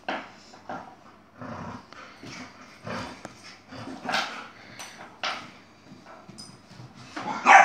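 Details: Yogi, a Chihuahua with attitude, fighting an Airedale: sharp yips and barks in bursts with growling between them, loudest toward the end.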